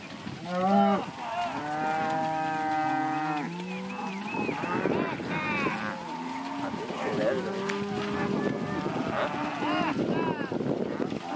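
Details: Herd of heifers and cows, mostly Angus and Red Angus with a few Jersey and crossbreds: several long, strong moos with clear sliding pitch, the loudest near the start, followed by further overlapping bellows from other animals.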